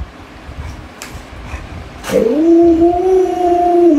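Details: Luoluo the Alaskan Malamute, a household dog, reacting to its owner lying sick in bed: soft shuffling indoor noises for two seconds, then a steady, sustained howl that starts abruptly and holds an even pitch.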